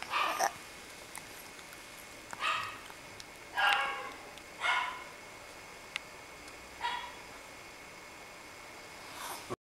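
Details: A moody Yorkshire Terrier yaps, sending out five or six brief, high, clipped barks spaced one to two seconds apart against a quiet indoor background.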